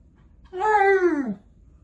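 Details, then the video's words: Alaskan Malamute Tonka talking: one drawn-out, tonal 'woo' with rich harmonics, holding steady then sliding downward over under a second, in a quiet setting. "Malamute Won't Stop TALKING!"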